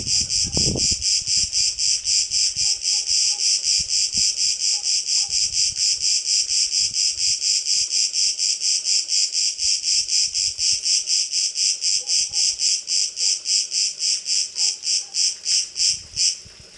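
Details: Lone Cicada cretensis on a Cretan terrace at midday: shrill buzzing throbs at about two per second that quicken toward the end into faster, fading pulses before stopping abruptly; a brief low thud near the start.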